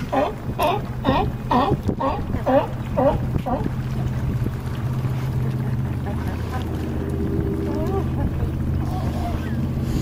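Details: California sea lions on a harbor dock at Crescent City, California: a rapid series of harsh, harmonic barks, about two per second, for three and a half seconds, then a low steady engine drone and wind.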